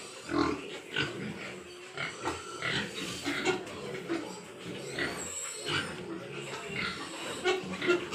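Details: On a Nadia, West Bengal pig farm, several Large White Yorkshire pigs grunt and snort in irregular loud bursts against continuous barn background noise.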